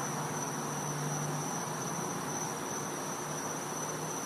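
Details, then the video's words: Cicadas in the back yard of a Florida home at night in winter: a steady, unbroken high-pitched whine over a wide hiss, with a faint low hum underneath. "Cicada Sounds"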